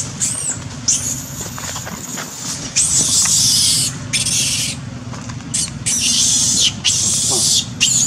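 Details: Young female monkey, bitten after being chased by Duchess, crying loudly to call her group for help: harsh, shrill screams in long bursts of about a second, repeated with short gaps, over a steady low engine hum.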